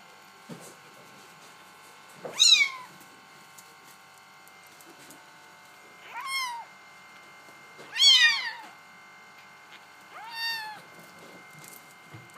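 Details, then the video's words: Bengal kittens meowing indoors: four high, rising-then-falling mews spaced about two seconds apart, rich in upper harmonics, over a steady faint electrical hum. "Bengal kittens"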